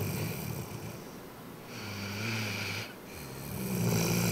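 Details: Sleeping Rhodesian Ridgeback named Georgia, worn out after doggy day camp, snores in deep rasping rumbles, each long inhale fading before the next swells up again.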